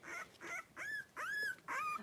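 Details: Five three-week-old blenheim Cavalier King Charles Spaniel puppies wrestling and playing in an indoor puppy pen. High, thin whines and yelps, each rising then bending down, come in four separate bursts about half a second apart.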